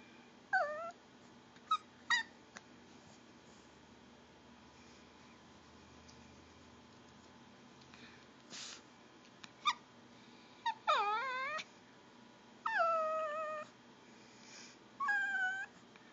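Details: Female Pomeranian begging for goldfish crackers: scattered short squeaky whines early, then three sharper rising whines near the end, separated by long quiet stretches with a few faint clicks.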